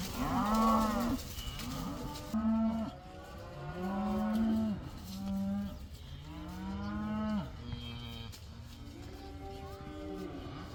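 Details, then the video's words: Cows newly let out of the barn for the first time, many animals together: a chorus of overlapping moos, one swelling call after another about every two seconds, some rising and some falling, from several cattle at different distances. "These cows are allowed to go outside for the first time! They love that!!"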